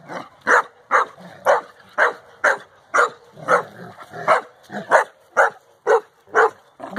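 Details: Playful barking from Safar, a Central Asian Shepherd Dog born in October 2015, romping with puppies four months old; rough, clipped barks repeat roughly twice a second, with soft growly undertones between them.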